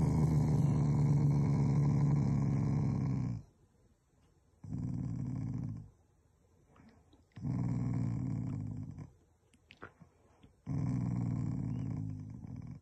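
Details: Shiba Inu pet dog growling affectionately rather than angrily toward its owners, indoors: four deep, rumbling growl bouts of about two to three seconds each, separated by short quiet pauses.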